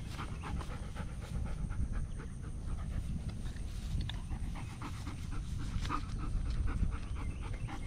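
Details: German Shepherd dog on a morning walk, curious about a turtle it has met, panting steadily in quick rhythmic breaths over constant low outdoor rumble.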